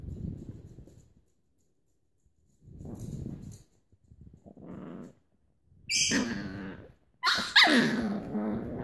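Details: Grumpy female Chihuahua puppies give low, rumbling growls, then sharp, high yelps, while one puppy tries to start a game.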